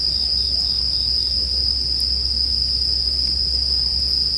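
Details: Continuous high, even ringing of bell crickets with no pauses, a single faint snap of burning wood near the middle and a quiet low hum beneath, part of a calming sleep soundscape.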